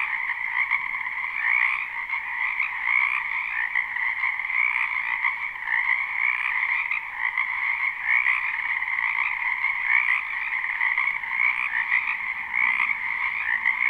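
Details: Many frogs croaking in a spring wetland, recorded live without looping: a dense, unbroken chorus of overlapping trills in two steady pitch bands, one mid and one higher, with no pauses and no other clear sounds.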